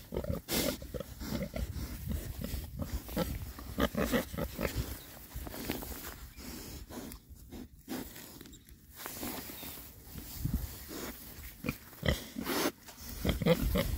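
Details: Six rare breed Oxford Sandy and Black pigs, all boys, foraging happily outdoors in winter between storms; low snuffling grunts and snorts come in bursts, mixed with rooting and rustling through ground litter.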